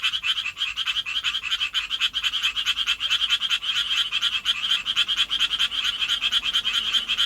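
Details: Japanese tree frog calling for a mate in the city, throat swelling like a balloon with each call; rapid, rasping pulsed notes repeated evenly many times a second without a break.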